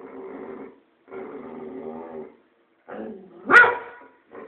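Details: Pet boxer dog vocalizing at its owner: two long, steady rumbling growl-like grumbles, then a rising whine that breaks into a sharp bark, followed by a short low grumble.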